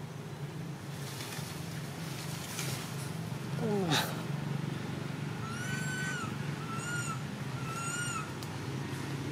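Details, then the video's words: A baby monkey crying while its mother pays it no attention; after a falling, sweeping squeal and some background rumble, three evenly spaced, high, slightly rising-and-falling wails follow in quick succession. "The most pity poor little monkey crying non stop when mom not care"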